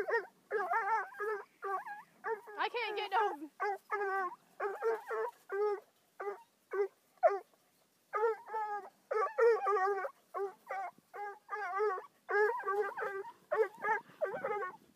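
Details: Five-month-old Bluetick Coonhound meeting his second raccoon, later set free unharmed: rapid runs of short, harmonic yelping bawls, steady and excited, broken by brief pauses, with no other clear sounds.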